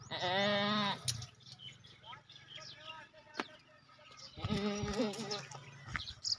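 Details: Maki cheni goats offered for sale at a goat market: two loud, quavering bleats about four seconds apart, each near a second long, with people talking in between.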